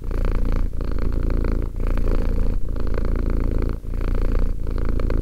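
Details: Close, loud purr of a two-year-old cat called Romek: a low buzzing rumble pulsing in roughly one-second breaths, with brief quiet breaks between phrases.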